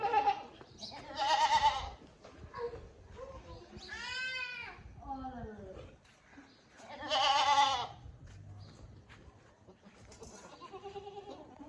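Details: Bucks and does of the Sirohi breed on a goat farm; two loud tremulous bleats a few seconds apart and a drawn-out falling call between them, with people talking throughout.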